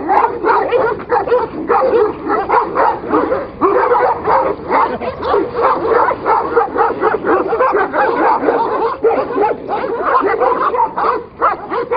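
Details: Fighting Kangals produce a continuous mass of gruff barks, whining yelps and growls, densely layered and loud throughout with only brief dips.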